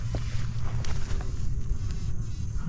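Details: Bumblebees give a low, steady droning buzz over a soft rumble of wind, in sandhill habitat of Jennings State Forest in fall, about four weeks after a prescribed burn, among fall flowers, new growth and butterflies.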